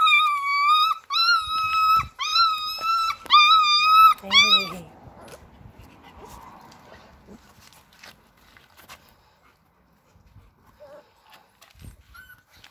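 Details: Six-week-old Alaskan Malamute puppies give high, drawn-out whining yelps in quick succession, then fall quiet.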